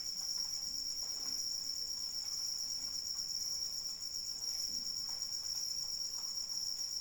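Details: Cricket in the rain giving a constant piercing trill at a single high pitch, accompanied by a low bed of rain patter and occasional soft drips.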